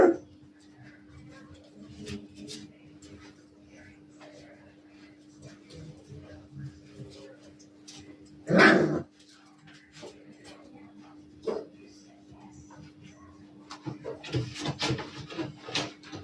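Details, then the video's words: Playing Maremma Sheepdog puppies let out one loud broad bark mid-way and a few lighter yelps, followed by scuffling, rustling noise, over a constant low electrical hum. "Maremma Sheepdog puppies; play time"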